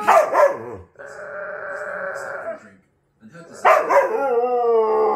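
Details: Siberian Husky opening with a rough yelping burst, then a long buzzy, even-pitched moan, a brief pause, and a final gravelly cry sliding into a clear whine.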